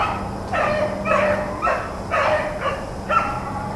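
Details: Blackcreek and Bluetick hounds running rabbits on April 4, 2013, giving a steady string of ringing bays, roughly one every half second, each bawl sliding downward, over a low steady hum.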